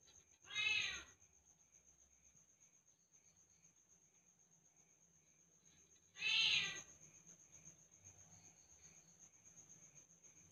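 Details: A leopard cat kitten (Asian leopard cat) calls twice, each a strong, harmonic, cat-like mew under a second, about five seconds apart, over a steady high electronic whine. Leopard cat.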